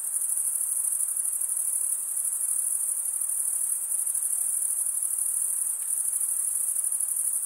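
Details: Crickets chirping by stridulation, rubbing a toothed wing vein against the other wing, in a relaxing long recording: a steady, very high-pitched shimmering trill without pause, with a faint soft hiss beneath and no other animals.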